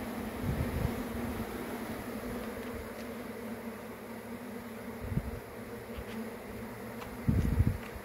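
A honey bee swarm makes a steady, dense, low buzzing drone, with a few soft bumps of handling noise.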